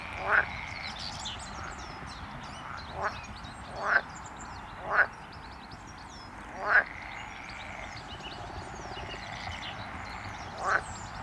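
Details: A colony of non-native edible frogs at RSPB Pagham Harbour nature reserve gives short, quacking croaks at uneven intervals over a busy background chorus.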